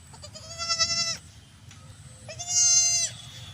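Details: Goats at a farm in Coochbehar; two loud, nasal, wavering bleats about a second long each, separated by a short pause with a fainter bleat, the second call louder and slightly higher, over low background rumble.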